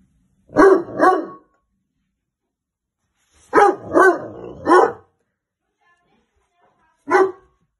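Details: A very alert Weimaraner puppy guards the house. It barks in loud, rough bursts, first a pair, then three, then a single bark after a pause, at janitors throwing snow off the roof. It is warning its owner of strangers nearby.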